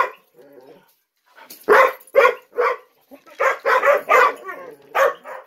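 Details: Gollie puppies, ten months old, waiting for their breakfast to be served as adults watch; a few separate short barks, then a quick cluster of four or five yelps close together and one more bark.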